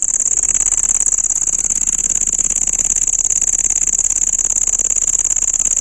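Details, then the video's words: A cricket keeps up a steady, penetrating high whine built from quick pulses that rise and fall in loudness slightly, continuing without pause and without other background sounds. "dangerous sound of cricket insect"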